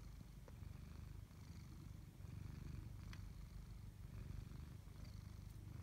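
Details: Tabby house cat, one of a pair named Chloe and Koda, purring steadily: a low, rumbling throb with a fast even pulse, swelling and easing in gentle waves, with a couple of faint clicks in the background.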